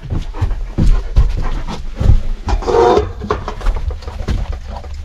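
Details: Major, a German Shepherd dog, at breakfast in the morning, with rough breathy panting and noisy broad bursts repeated irregularly over five seconds, loud and close, with some clattering.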